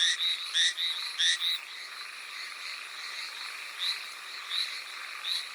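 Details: Hallowell's tree frog in rainfall on Amami Oshima, Japan: a few loud, sharp, paired croaks open the passage, then softer distant notes continue at irregular intervals over a constant hissing background.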